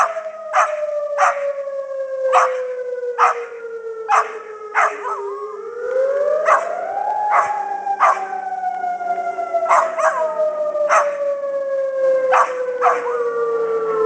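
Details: A Pembroke Welsh Corgi howls in long, wavering glides along with the monthly test of the Civil Defence siren, with short sharp yips between.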